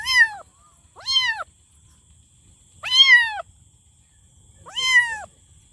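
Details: Loud kitten meowing: four clear arched meows about a second long, rising then falling, coming at irregular intervals of one to two seconds in an otherwise quiet setting.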